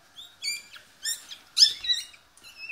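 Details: Newborn Yorkie puppies squeaking while their mother gives birth at a Michigan breeder's home: a series of sharp, high, harmonic squeaks in short bursts about every half second, some rising or falling in pitch, over a quiet background.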